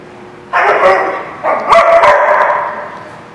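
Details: Dog barking at a dog lot, recorded 11/4/16: two long, loud, harsh barks, the second drawn out over more than a second, with faint clicks and background noise.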